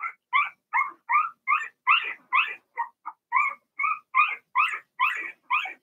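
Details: Cavalier King Charles Spaniel puppies, Blenheim, from a litter of six born March 7–8 to Remy, in an indoor puppy pen during potty training; a rapid run of about fourteen short, high squealing yelps, roughly two per second, each with a doubled tone.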